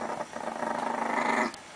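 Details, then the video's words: Aggressive Chihuahua growling while guarding pancakes as a person coaxes it to share; a pulsing, rasping growl runs about one and a half seconds, rising in intensity before stopping abruptly. "Агрессивный Чихуахуа"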